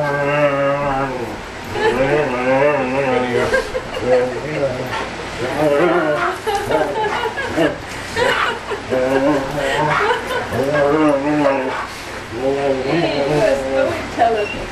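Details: Giant Schnauzer Schultz 'talks' while excitedly greeting a friend who flew twenty hours from Germany to see him: long sequences of wavering, rising and falling howl-like yowls, with people's voices mixed in.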